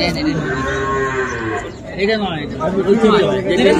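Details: Sahiwal bull calves at a Bangladeshi cattle market in Mymensingh on 7 February low overlapping moos, warbling and bending in pitch, blend with faint chatter and crowd murmur.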